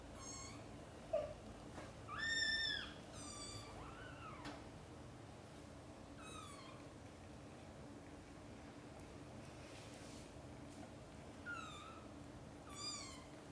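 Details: Domestic mother cat summoning her playing and sleeping kittens to wake up for lunch; a run of bright, arching meows spaced through the stretch, the strongest early on, then softer, shorter calls with quiet gaps between.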